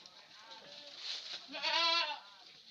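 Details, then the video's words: Etawa goat kept on a small farm at Senduro, Lumajang, Indonesia. A faint nasal bleat early on, then a louder, quavering, richly harmonic bleat of about half a second, with light background rustle around it. "Goat monster etawa ( kambing etawa )"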